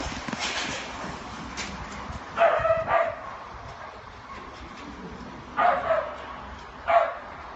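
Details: Deerhound/greyhound x whippet cross chasing a lure on the extended four-bend distance at a local flapping track after a hand slip: four sharp, tonal barks or yelps, a pair around midway and two more near the end, over steady outdoor rumble.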